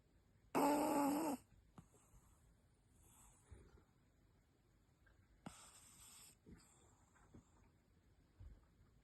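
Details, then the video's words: Kuzya, a Brussels Griffon, in deep sleep snoring indoors: one loud raspy, wheezy snore near the start, then softer, fainter snuffling breaths, a second quieter snore around the middle and small sleepy noises in a quiet room. "Griffon Snoring Like a Tiny Chainsaw"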